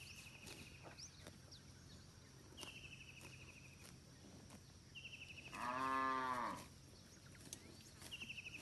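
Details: Among a huge herd of village cattle grazing in a green rice field, one loud, smooth moo of about a second sounds, while short high rattling trills repeat several times in the background.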